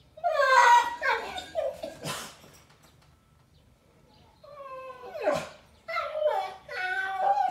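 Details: German Shepherd Boxer mix named Thor, just after surgery and kept from his walk, protests indoors with wavering, tonal whines and moans, a sharp noise at two and five seconds, and rising complaining cries near the end.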